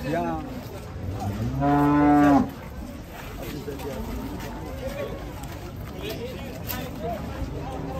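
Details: Large cow, close to one ton, at a cattle market, gives one strong, rich, sustained moo of about a second, loud against the low murmur of the market and more distant bovine calls.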